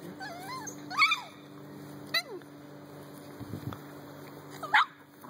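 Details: Playing in a backyard with a Dalmatian and an American bulldog, a group of dogs including a Chihuahua gives wavering high whines, a quick rising yip, and a final sharp yelp, with a faint voice and a steady hum beneath.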